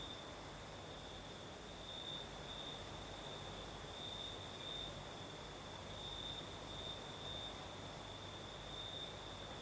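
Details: Night chorus of crickets in southern Crimea, night breeze blowing: one continuous high trill holds steady the whole time beside a faint higher shimmer, over a bed of low rushing noise.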